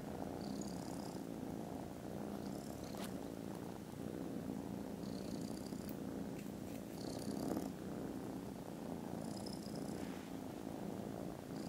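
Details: Domestic foster kittens, contented and dozing after lunch in mid-December, purr continuously in a deep, even drone; soft clicks and short high-pitched whining tones recur every few seconds over the steady rumble.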